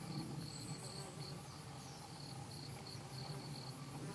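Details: Bumblebee workers (Bombus hypocrita) foraging at devil's beggartick flowers in Japan during late September 2012; a deep, steady droning buzz dominates, swelling and easing, with brisk pulsed chirping of other insects repeating high overhead.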